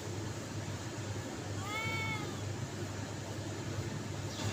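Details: A cat meowing to attract others, a single short arched meow partway through, heard faintly over a strong low rumble and hiss.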